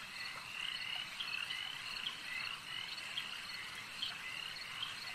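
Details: Frogs at a lake form a thick, continuous chorus: rapid rattling croaks layered over one another, with brighter accented calls popping up roughly once a second above the droning background.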